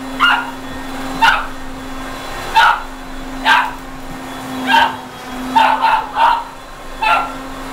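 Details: A pet dog barking at a running vacuum cleaner indoors: eight sharp, mid-pitched barks at irregular intervals, some in quick pairs or triples, over the vacuum's steady low hum.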